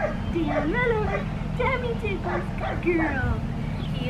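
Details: Blue merle female Australian Shepherd puppy, seven and a half weeks old, giving a run of high, wavering whines and yips that rise and fall in pitch, about eight in four seconds, over a steady low hum.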